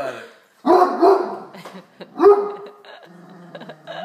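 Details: Great Dane named Reg barks at a tray of dinner rolls he wants; two loud, harsh barks about 1.6 seconds apart, each trailing into a lower grumble, with faint household sounds after.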